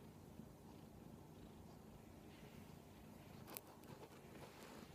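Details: Giant kitten demanding attention, purring in a steady low rumbling drone throughout, with a couple of faint clicks near the end.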